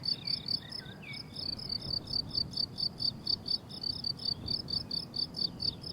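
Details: Crickets calling on a blooming summer meadow, a steady run of short, bright chirps pulsing several times per second at high pitch, with faint birdlike whistles briefly in the background and a low hum of wind beneath.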